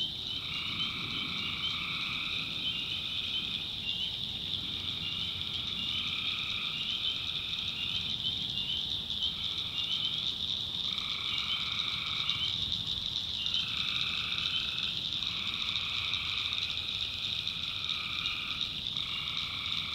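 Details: Tree frogs calling at night in the backwoods of North Carolina: a dense, continuous high trilling chorus with overlapping lower pulsed phrases that start and stop every one to two seconds, swamp ambience, no other clear sounds.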